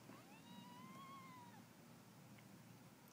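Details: Cats fighting to eat; one drawn-out, tonal meow lasting about one and a half seconds, rising slightly then falling at the end, followed by quiet background hum.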